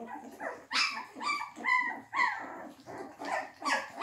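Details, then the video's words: A litter of English Springer Spaniel puppies at their first meal of quark mash makes a rapid string of high squeaky yelps and whines, about two each second, overlapping each other indoors. "English Springer Spaniel Welpen"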